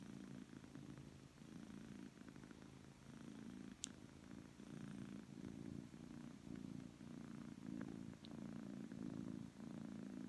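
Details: A Persian cat purrs loudly and steadily, happy and relaxed, a low continuous rumble that swells and eases with each breath.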